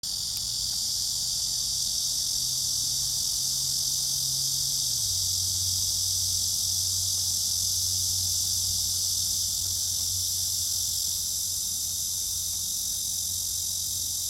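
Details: Cicada chorus: a continuous, dense, high buzzing drone without a break, with a low engine-like hum underneath that shifts pitch midway.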